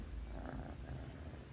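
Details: Pet cat purring at night while lying beside its owner in bed, a steady low rumbling purr with faint pulsing throughout, quiet room.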